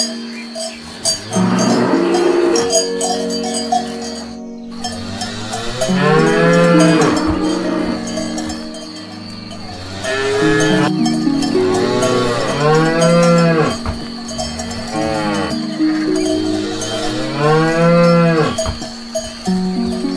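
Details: Grazing cows eating grass, several low drawn-out moos rising and falling, some overlapping, sounding every few seconds over a steady ringing of cowbells.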